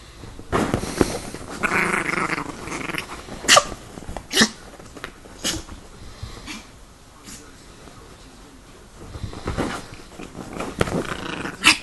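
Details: Growling Chihuahua on the attack, rasping snarls broken by sharp snapping barks spaced a second or so apart, with a faint human voice heard.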